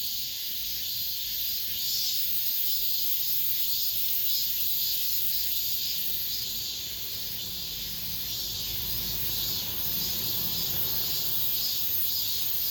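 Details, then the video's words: Late-summer cicada chorus inside an apartment complex, the last of the season. The sound is a continuous shrill droning hiss with gentle waves in loudness. A faint low rumble shows in the background. "올 여름 마지막 매미소리"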